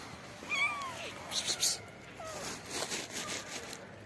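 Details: Hungry black kitten hiding under trees, waiting to be fed: a few thin, high, bending meows, soft and partly masked by rustling and handling noises outdoors.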